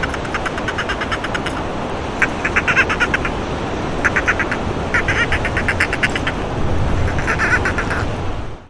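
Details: Dolphin. Dolphin clicks come in quick rattling bursts, each lasting under a second, that blur into a harsh, buzzing, almost quacking sound. A constant watery hiss runs underneath throughout.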